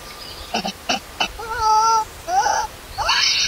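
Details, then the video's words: Newborn baby monkey Lori, left alone by its mother and hungry for milk, crying loudly: short harsh chirps, then sustained tonal whines with stacked harmonics that waver and rise, ending in a rough higher squeal. "CRYING SO LOUDLY AND ANGRY MOMMY LEAVE BABY ALONE"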